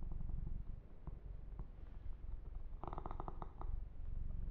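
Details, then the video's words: Kitten Yumak purring under massage: dense low throbbing rumble, with a short burst of crisp clicking grooming noises near the end. "Kitten Massage - Perfect Sleep Helper Ear to Ear Purring"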